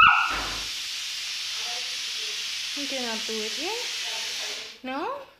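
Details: Two-month-old Saint Bernard puppy, afraid to go down the stairs, gives high, bending whines. Several short rising and falling whimpers come close together in the second half, over a steady hiss, with a final brief whine after a pause.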